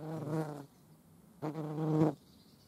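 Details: European hornet flying past twice, two short bursts of deep, harmonic buzzing separated by about a second of quiet.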